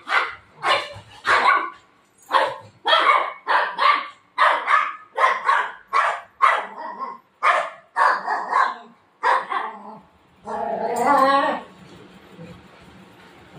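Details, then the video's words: Pet golden retriever playing with its mom in the afternoon, keeping her from sleeping: a run of about seventeen loud, sharp barks in quick succession over ten seconds, ending in a longer, drawn-out voiced yowl, indoors. "cute golden retriever dog playing with mom"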